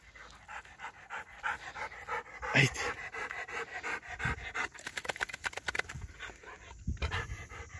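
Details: Golden Retriever named Ljubica, nine years old, fetching a wooden stick: quick breathy panting in rapid bursts, densest toward the middle and end, with a man's voice calling and coaxing her in a Slavic language.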